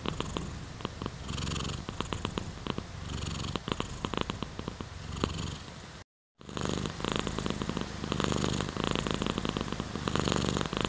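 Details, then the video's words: Domestic cat purr, a close pulsing rumble in repeated breath cycles, cut by a brief silent gap just after six seconds before the purring resumes slightly louder. "Cat's Purr"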